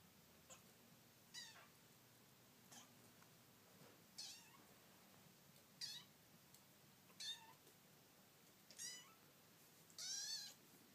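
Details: Five-week-old kitten confused by its first look at a mirror, indoors, giving thin high meows about every one to two seconds, some wavering, the last one longer and louder.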